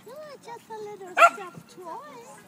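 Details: Dogs playing at a dog park: high, arching whine-like cries rise and fall in short bursts, one sharp bark cuts in midway, and people talk nearby.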